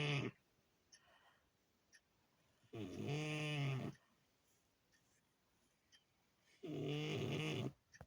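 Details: Sleeping French Bulldog gives deep, rattling, harmonic snores, two long loud ones about four seconds apart, separated by near silence and faint soft breaths.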